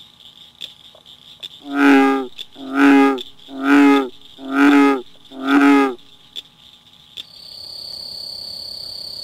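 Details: Male American bullfrog at a pond giving an advertisement call during breeding season: five deep, resonant rumbling notes, about one per second, in a steady series; territorial males, often only one or two calling per pond.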